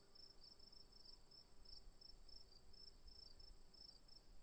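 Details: Crickets chirp in rapid, evenly spaced bursts above a steady high-pitched drone, with a faint low hum in the background.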